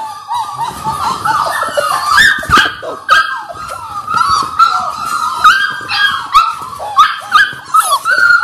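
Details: Litter of six Labrador Retriever puppies in their sixth week, filmed on a live stream in February: constant overlapping high-pitched whimpering and whining, with scattered yips and soft bumping noises.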